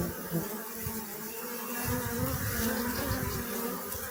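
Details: Honey bees buzzing steadily, a dense continuous hum with a low drone and layered overtones, swelling slightly louder in the second half.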